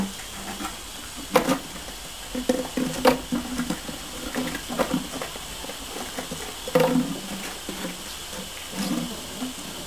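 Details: Scattered short, low whimpers and grunts from Border Collie puppies at play under a misting hose on a hot day, mixed with pattering water and spray hiss.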